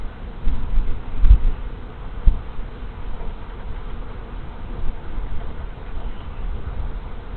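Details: Honey bees swarming into a hive whose colony died over winter, March 24, 2023: a continuous low buzzing roar of countless bees, with several brief louder bumps early on, otherwise steady throughout.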